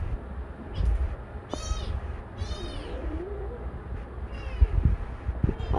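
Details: Adopted legless kitten giving several short, high-pitched mews in quick succession, while a woman coos and speaks affectionately nearby.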